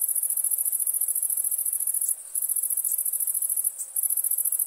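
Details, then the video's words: Night chorus of crickets: a thin, shrill, rapidly pulsing trill held steadily, dropping out twice for a moment before resuming, with soft background hiss. "Relaxing Chirping Crickets for Sleep Therapy, Meditation and Study"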